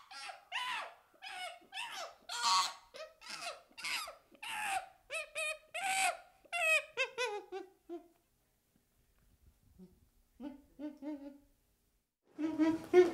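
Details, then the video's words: Baby chimpanzee producing a fast series of tonal hoos and whimpers that slide downward and fade, then a lull with faint soft calls before a louder burst at the end. "Baby Chimpanzee Sound"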